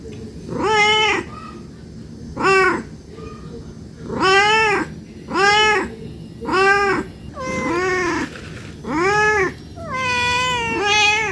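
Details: Hungry cat asking for food with repeated rich meows, short arched calls coming about once a second, some with a dipping start, plus a couple of soft chirps between them; a low hum persists underneath.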